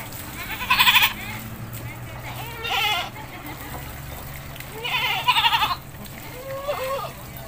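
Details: Village goat being bathed, giving two loud, quavering, nasal bleats about four seconds apart, with people talking between the calls.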